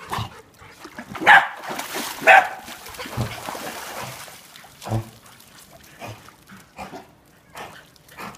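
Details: A year-and-a-half-old female corgi gives two sharp, loud barks a second apart, then quieter yips, possessively defending her pool.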